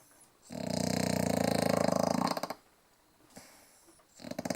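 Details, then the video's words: Snoring English bulldog giving a long, loud, rattling snore of fast vibrating pulses for about two seconds, then a soft, quiet breath before the next rattling snore begins. "Bulldogge schnarcht"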